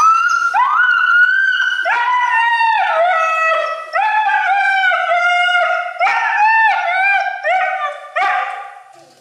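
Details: Male Siberian Husky yelling during his bath, a long string of loud, harmonic, talking-like howls, each rising then falling or wavering, about three to four per second with brief breaks, no other sounds.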